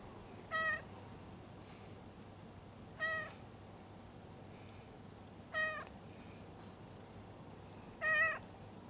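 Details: Stray cat mewing softly while its lower back is patted, four short harmonic meows spaced about two and a half seconds apart over a low, steady background hum.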